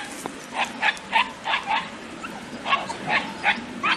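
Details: Andalusian Hounds hunting a rabbit, more dogs joining the chase, give quick, high, yelping barks, about three each second in an uneven run.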